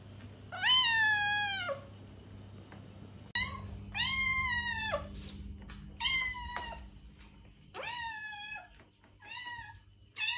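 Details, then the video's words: Repeated cat meows for luring a stray cat, five to six sustained calls with slightly falling endings, some overlapping quickly, set against a low background hum. "Cat Meows - To Attract Your Stray Cat!"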